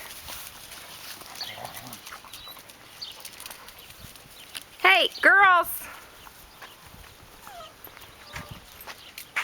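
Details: Puppies filmed on May 29, getting big, give a short burst of loud, harmonic whining yelps, three or four rising-and-falling notes in quick succession, amid quiet background and a person talking softly to them.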